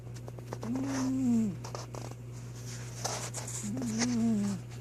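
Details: Sleeping house cat Troy snores twice, each breath a wavering, tonal, nasal drone lasting about a second, with a low constant hum running underneath in a quiet room.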